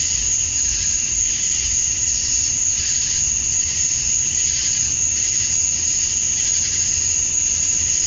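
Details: Chorus of male cicadas calling for females on a summer evening at dusk, Georgia, USA: a relentless high shrill tone over a pulsing buzz that waxes slightly about once a second.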